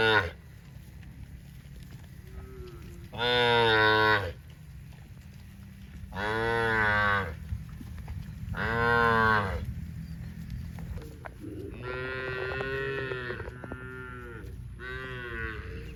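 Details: Dozens of tame cows running in green grass rice fields on a cattle farm; loud drawn-out moos at about three, six and nine seconds, then overlapping moos from several animals near the end, over a low steady rumble.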